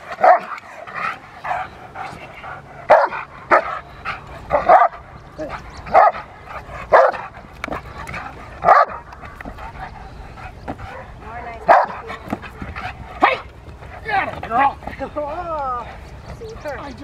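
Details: Rottweiler female during protection training at a club in April 2021, barking in sharp bursts at irregular intervals, roughly a dozen barks, with a handler's voice speaking in between.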